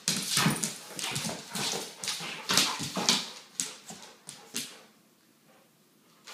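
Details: Weimaraner mother and her 10-month-old pup at play inside a house, stolen cups on the floor; quick growly grunts and scuffling bursts roughly twice a second, fading to near quiet before a final bump.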